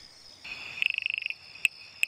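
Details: Tiny frogs, half the size of a thumb, whose call is likened to a water droplet falling into a bucket. A quick run of about a dozen bright, even ticks is followed by two isolated sharp ticks.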